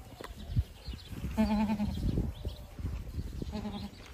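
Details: Two wavering, vibrato bleats from a farmed Boer goat, a half-second bleat followed by a briefer one two seconds after, against heavy low-pitched rumbling noise.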